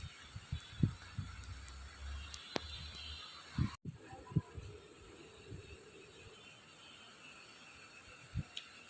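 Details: Low thumps and handling knocks sound over steady background hiss, with no animal calls.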